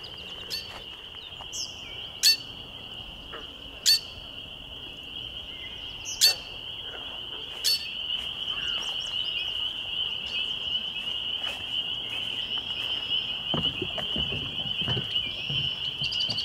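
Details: Spring peepers calling on a May 2021 evening at Laurel Creek Conservation Area, Waterloo, Ontario, Canada: a dense, continuous high-pitched chorus of peeps, with a few sharp clicks and knocks nearby and faint low rumble.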